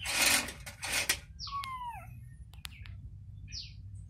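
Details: Domestic cat, a mother with her newborn kitten: loud rustling handling noise opens, then one drawn-out, falling mew with clear overtones, followed by sharp clicks and a brief high chirp near the end.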